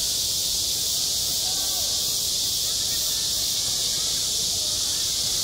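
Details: Cicadas calling at a school playground in midsummer: a dense, unbroken high-pitched hiss of many insects, steady in loudness throughout with no pauses.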